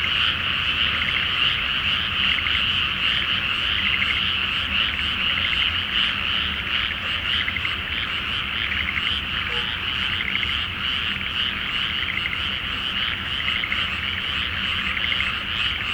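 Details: Frogs chorusing at night in a flooded rice field before planting, full flower moon, Japan; a thick, ceaseless mass of quick trilling croaks, with a faint low hum throughout.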